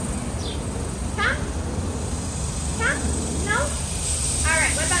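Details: Female German Shorthaired Pointer at the start of a 15-day board-and-train, described as reactive and barky; several short high whines sliding up and down in pitch, some in quick pairs, over a trainer's commands and a steady background hum.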